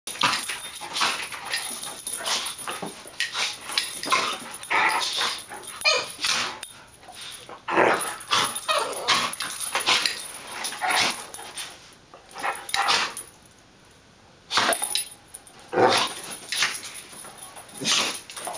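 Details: Great Dane puppy and cattle dog mix playing indoors in an office, a French bulldog puppy wanting to join; rough bursts of growls and scuffling noises come in quick irregular runs, with a brief quiet gap near the middle.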